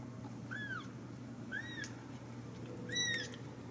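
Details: Three clear, high, arched mews from Ragdoll kittens raised indoors at a cattery in central Kansas. The calls come about once a second and each rises then falls, over a low steady room hum.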